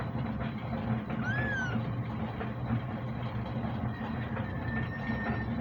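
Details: Kitten giving a single arched, rising-then-falling meow lasting about half a second, set against a steady low engine-like rumble, with a faint thin whistled tone drifting in later.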